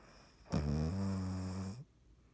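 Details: Dottie, a sleeping cat, recorded 3.17.19, gives one long droning snore of about a second and a half, a low buzzing tone with strong harmonics, starting abruptly and fading with a slight upward lift.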